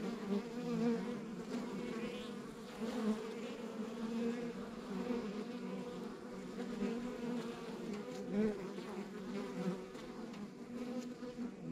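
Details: Continuous hum of a rural backyard beehive full of honey bees, layered low drone with faint flickering higher buzzes of individual bees passing, loudness gently rising and falling throughout.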